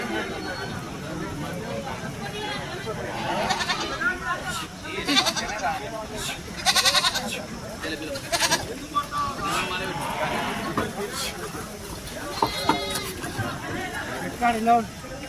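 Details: Sheep bleating at the weekly sheep and goat market at Chilpur Gutta on 11 May 2025, a hot sunny day with few animals brought; wavering, quavering bleats recur throughout amid steady crowd chatter, shouts and livestock bustle.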